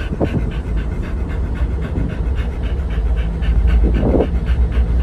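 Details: Panting from the Pit Bulls Oliang and Nomyen, on the way to a stay at Dog Space Hotel over Chinese New Year 2020; quick uneven huffing breaths over a low droning rumble, with a couple of brief louder sounds.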